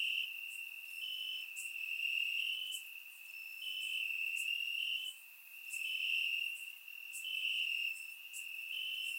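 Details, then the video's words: Summer-night crickets singing in the grass in Bulgaria, surround-miked; an unbroken shrill trill layered from several callers, rising and falling in loudness every few seconds, punctuated by quick brighter chirps. "Cricket Sounds - Crickets Chirping at Night"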